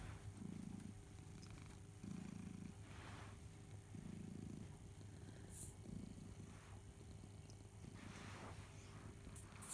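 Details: Domestic cat Barnaby purring as he suckles his treasured teddy bear Boo at home; deep rhythmic purr with five distinct louder pulses roughly two seconds apart over a constant low hum.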